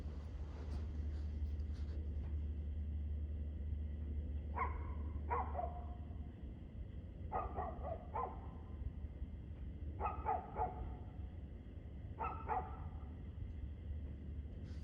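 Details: Dog barking on 2/6/2024 at 6:02pm: after a few quiet seconds, sharp barks come in close pairs and short bursts, spaced roughly two seconds apart, over a constant deep hum.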